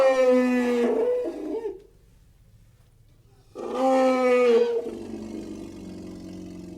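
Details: Elephant sounding two loud, harmonic, slightly descending blasts, each lasting over a second, separated by a quiet gap with faint low background hum.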